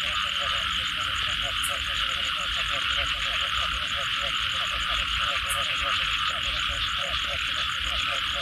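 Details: Many frogs call after rainfall in a dense chorus of quick, pulsing, rhythmic croaks overlapping continuously, over a loud, even buzz of insects.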